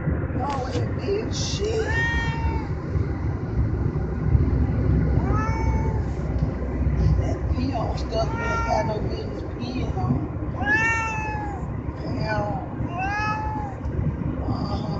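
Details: A crying pet cat gives repeated wavering meows, each bending up then down, about six calls spaced every two to three seconds, against constant low background noise and faint human voices.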